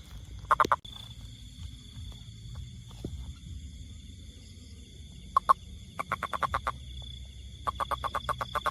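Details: Toad, tagged rainfrog, calling in short bursts: a quick cluster of pulsed croaks, a pause, then two longer rapid runs of clicking notes near the end, over soft low background noise and a steady high hum.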